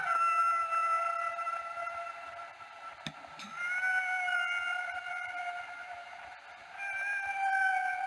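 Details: Humpback whale song, sung only by males, perhaps to females, and used to communicate. Long sustained tonal notes with stacked harmonics, held steady for several seconds, a brief click near the middle, then rising into a new held note.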